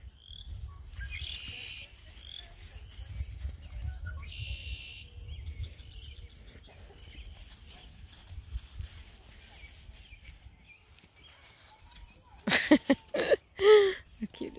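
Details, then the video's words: Bluetick Coonhound puppies outdoors at an Ontario breeder, sneaked up on in silence: after a long quiet stretch with distant faint tones, a sudden run of loud harmonic barks and yelps near the end. "How do Bluetick Coonhound puppies react? sneaking up & not talking"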